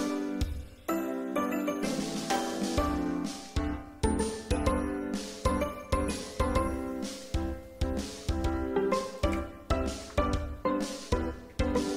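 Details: Bright chiming music with bell-like notes struck roughly every half second plays throughout, with no animal sound.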